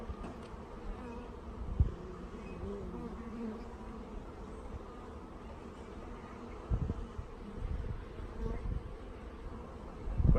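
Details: Honey bees during package installation, the queen lightly spilled on with sugar syrup yet settled at the bottom after transit. Even low hum continues throughout, with occasional knocks and bumps.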